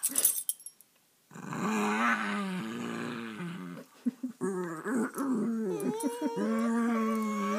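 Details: Playful growling from two rescued terrier-mix dogs, Sammy and Tiki, roughhousing indoors; after an opening scuffle, sustained buzzy growls rise and fall in pitch, with short breaks and quick snarling bursts.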